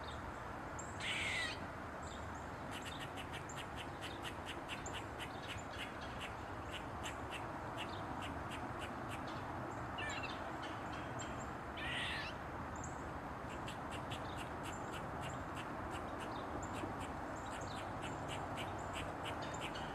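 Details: Eastern gray squirrel dancing on a mushroom, tail wagging, delivering rapid runs of short dry barks several per second, broken by a few louder grating squeaks, over steady broadband background hiss.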